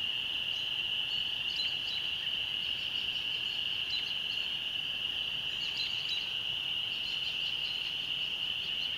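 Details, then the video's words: Spring peepers chorusing at dusk beside a church in the countryside, where they appear every year around this season. A dense, unbroken high ringing chorus, with scattered higher chirps from birds singing at sunset. "Spring peepers ,birds singing and other amazing nature sounds in the country at sunset"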